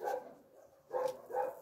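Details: Shelter puppies at a no-kill animal shelter in Russia, giving two short whining yelps with bright harmonic bands, the first at the start and another pair about a second later, separated by a quiet gap.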